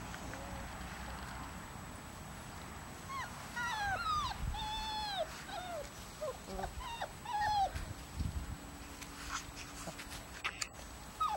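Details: Litter of 34-day-old puppies: high, thin whimpers and squeaky arched whines in quick runs, mostly between 3 and 8 seconds, over a steady low rumble of background noise.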